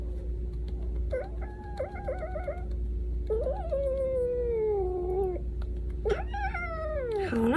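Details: Cash the baby cat meows repeatedly indoors. A quick, choppy run of short mews gives way to a long, drawn-out cry that slowly slides downward, then a final rising-and-falling wail over a low background hum.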